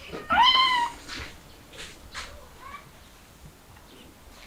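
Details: Mother cat with her kittens, a street cat trying to escape through a window with them: one clear high rising-then-falling meow with bright harmonics, followed by faint softer calls and quiet room noise.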